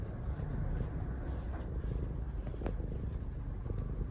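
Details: Affectionate pet cat named Sora kneading on its owner's lap while purring: a low, steady, pulsing rumble fills the whole stretch, with a few faint clicks and a soft background hum.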